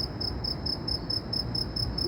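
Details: Insect recorded in Saudi Arabia, its loud call noted: high, pure chirps pulsing steadily about four times a second over a low rumble of background noise.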